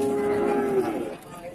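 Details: Cattle at a livestock market in Randudongkal, Pemalang, Central Java, Indonesia, three head offered at a loss with no buyers; a short steady low moo fading out after under a second, with faint background murmur.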